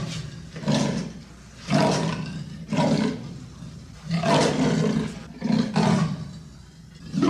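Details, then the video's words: Leopard producing a rhythmic series of rough, sawing roars, about one every second, each burst coarse and breathy, rising and falling in loudness. "The sound of the leopard is like a large displacement engine"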